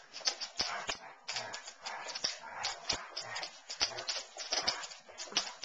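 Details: Playing Basset Hounds Darwin and Elvis keep up steady gruff, breathy growling mixed with snorts and quick clicking taps, with no pauses.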